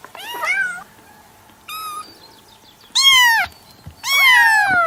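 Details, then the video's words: Domestic cat meowing repeatedly: four harmonic meows, some short and falling, the last two loud and drawn out, roughly one every second. "SONIDO DEL GATO/ MAULLIDOS// CAT SOUND/ MEOWING"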